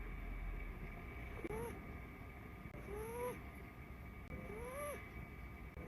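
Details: Ragdoll kitten, blue point bicolor, snoring with an unusual sound. Three thin whistled tones, each rising then dipping slightly, come at about one-and-a-half-second intervals over a low rumbling background.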